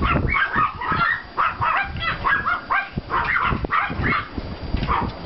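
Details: Yard walk after snowfall on 5 April 2014 with Pomeranian and klein spitz puppies from two litters: shrill yips repeated roughly twice a second, voices overlapping, a low background rumble throughout.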